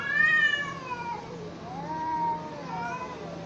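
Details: Fighting cats produce sustained moaning yowls, starting high then dropping into low wavering drawn-out tones, with a second rising wail near the end; steady low hum underneath.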